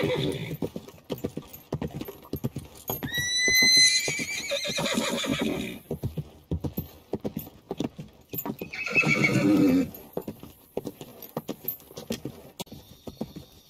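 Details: Horses and a mare in a herd, ridden on the beach: a high whinny falls in pitch and shakes, set against steady clip-clop hoofbeats, with a second rougher, lower neigh about five seconds later.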